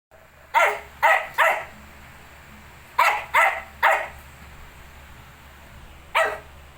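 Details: Shih tzu with 19-day-old puppies, indoors: short sharp barks, a rapid triple, a pause, another triple, then a single bark, over a steady low hum.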